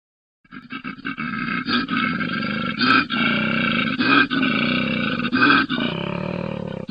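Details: An Australian koala bellows in deep, rasping, pig-like snorts and grunts, repeated in rapid rhythmic bursts.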